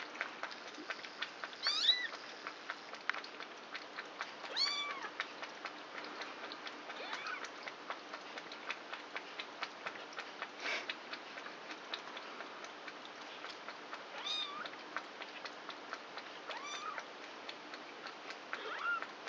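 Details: Krampus's four kittens, three weeks old and born 29 March, at night play with one another; several thin high-pitched meows with curved rising-falling shapes come every few seconds over steady ticking and scuffling sounds.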